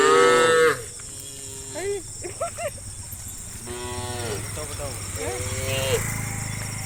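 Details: Cattle on a road, dozens of tame cows calling their friends to search for grass; one loud moo opens, followed by quieter short calls and a rising, bending moo from other animals, with low rumbling noise beneath.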